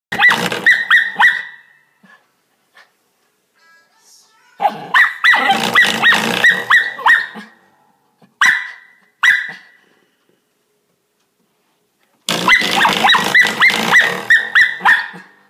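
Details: Shetland Sheepdog barking at a door stop indoors: bursts of sharp, rapid barks repeated several times a second, in three main bouts separated by short pauses, with a few single barks between.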